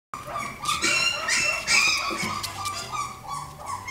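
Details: Miniature Dachshund and Italian Greyhound mix dog giving a run of high, tonal yelps and whiny yips, rapid and uneven, several per second, with short rising squeals in between and little other sound.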